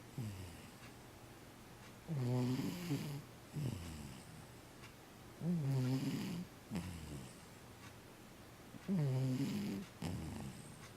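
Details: Snoring cat with rhythmic rasping breaths: a loud throaty snore about every three and a half seconds, each followed by a softer wheezy breath, against a quiet background.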